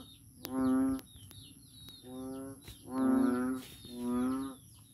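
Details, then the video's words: Noisy frog calling at Daanbantayan, Cebu: four deep, drawn-out moaning calls, each about a second long and rich in harmonics, separated by short pauses, with a steady high electrical whine behind. "Noisy Frog"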